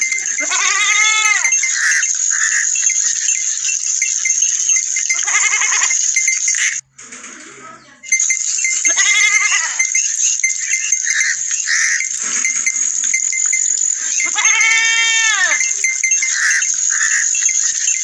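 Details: Goats and sheep bleat in four separate bursts, each a quavering, nasal cry that rises and falls, spaced several seconds apart, over a constant shrill ringing hiss that cuts out briefly in the middle.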